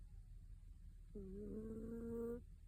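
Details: Mame Shiba Inu snoring while asleep indoors: one drawn-out, tonal, slightly nasal hum lasting just over a second rises from a low room rumble, then stops.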